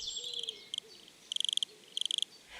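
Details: Wood cricket in Paris woodland, active day and night, whose soft, harmonious stridulation marks territory and attracts a female; here short bursts of high, rapid chirps in groups of five to eight, over faint background sounds.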